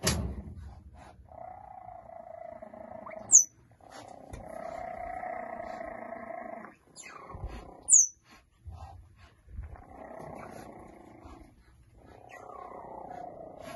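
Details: Three-week-old cheetah cubs, five siblings, interacting on hay: drawn-out tonal mewing notes with harmonics, broken by a few short, sharp high chirps, interspersed with quiet gaps.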